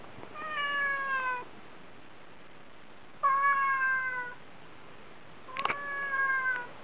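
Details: Dieting house cat begging for food with three long, slightly falling meows spaced about two seconds apart, the last one preceded by a faint click.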